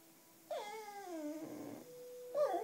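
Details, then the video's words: Black female Cocker Spaniel howling to wind instruments, particularly clarinet, sounding somewhat tired and groaning. A soft howl falls steadily in pitch over a second, then a plain steady tone is heard, ending in a short louder burst. "A Howling Cocker Spaniel"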